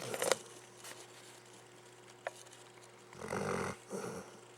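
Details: Luke, a pet dog, snoring while asleep: a long rasping breath of about half a second, then a shorter softer one after a brief pause, with a quiet room and a few faint clicks before.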